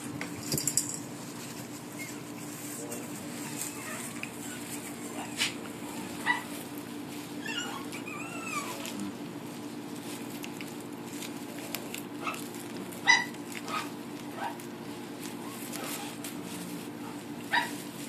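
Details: Several French Bulldog puppies give sparse, thin, high whimpers, a short cluster of wavering squeaks near the middle, with scattered clicks and knocks over a steady low hum.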